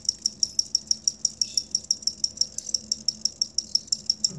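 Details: Cricket, an original recording meant as training material for songbirds: crisp, evenly spaced high chirps of about five per second, each a bright metallic pulse, over a quiet low hum.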